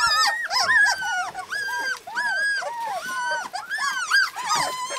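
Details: Husky puppies in Lapland, several at once: high whining and yelping calls with arched, wavering tones, overlapping in a steady chorus with short breaks.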